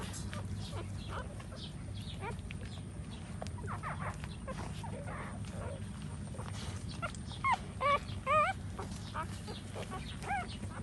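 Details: Puppies nursing from their standing mother dog give faint, scattered high whines and squeaks, thickening into a cluster of short wavering cries near the end over a steady low rumble.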